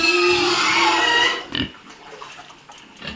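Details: Duroc pig on a farm in Assam squealing loudly for about one and a half seconds, a rich harmonic cry that then breaks into short scattered grunts and knocks.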